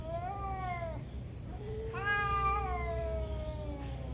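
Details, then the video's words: Morning fight between two angry cats, hard to control: a falling wail, a brief pause, then a louder rising yowl that slowly sinks, layered with a low drawn growl over constant hum. "Cat Fights cat | Angry Cat caught on camera | gato briga com gato"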